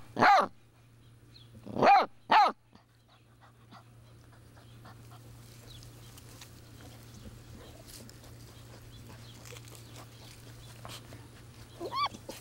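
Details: Six-week-old Basset Hound puppy named Homer gives three short, loud, high-pitched yelps in quick succession at the start, then a long quiet stretch of low hum and faint rustling before a rising whine near the end.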